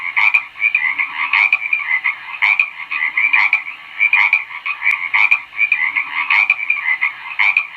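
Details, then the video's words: Frog calling in steady rhythm: raspy, grating croaks that come in bursts roughly once a second, each burst stuttering into quick pulses. The background is quiet. "SOM DE RÃ"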